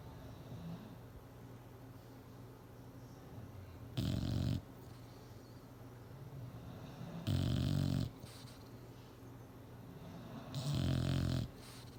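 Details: Sleeping bulldog snoring on a chair, three deep, harsh snores about every three seconds, each roughly half a second long, separated by soft low breathing in a quiet room.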